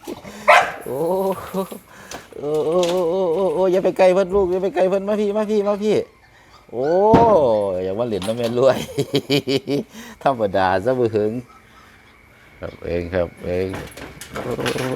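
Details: Young Pit Bull, now grown from a puppy, voicing drawn-out quavering whine-howls broken by short barks, several bouts separated by brief pauses, with people talking and laughing nearby indoors.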